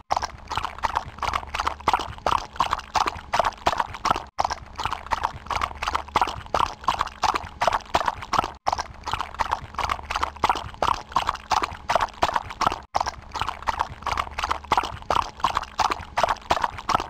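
A horse's hooves clip-clop in a steady, quick rhythm, with no neighing heard.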